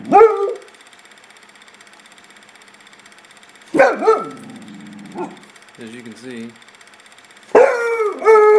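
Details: Domestic dog spooked in the backyard by nothing visible, showing off with sharp, harmonic barks at the start, middle and end, some doubled; a man's voice talks to it in the quieter gaps.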